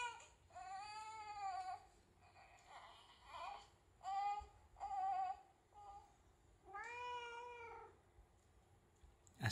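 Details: Pet domestic cats, Nico and Latte, at home on the day they first meet the family's newborn son: a series of five or six drawn-out, tonal meows, some slightly rising then falling, separated by short pauses in a quiet indoor room.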